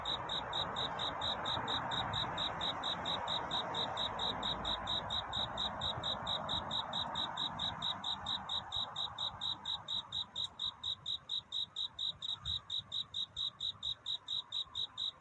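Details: A cricket calls for love through the night, its sharp high chirps pulsing about twice per second; a hissing wash fades over time, leaving the clean chirps distinct toward the end.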